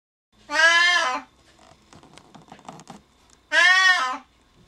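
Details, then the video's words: A male Siamese cat, shut behind a door and left alone after someone he follows goes downstairs, gives two loud, drawn-out, nasal meows, each ending in a falling tail. "Noisy loud siamese cat Sean! うるさい鳴き声のシャム猫ショーン"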